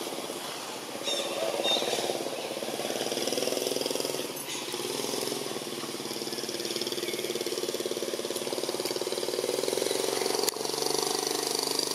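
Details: A steady engine drone runs throughout with faint speech and outdoor noise, and no animal voice stands out.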